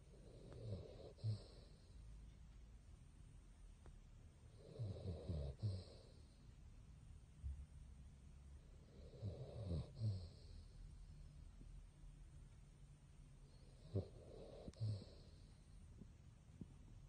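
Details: Sleeping pet Basset hound Bongyi snores steadily, each deep, rattling inhale-exhale returning roughly every four to five seconds across four cycles, low and throaty with a soft breathy hiss, in a quiet room.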